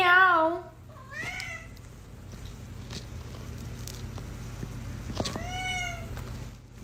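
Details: Pet cat meowing in a comedy compilation: a loud wavering meow at the start, a shorter rising one a second later, then a final arched meow after a quiet stretch with faint clicks and a low hum.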